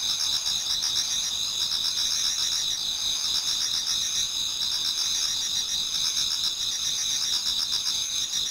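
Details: Towards dawn in autumn, numerous insects sing together in a Japanese garden; a constant shrill wall of high tones with quick rhythmic pulses woven through, steady in loudness throughout.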